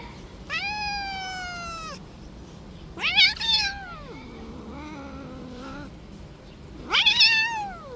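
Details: Street cat that played too rough: a long drawn meow sliding slowly downward, then a shrill rising-and-falling cry dropping into a low moaning tone, and a final sharp upward meow.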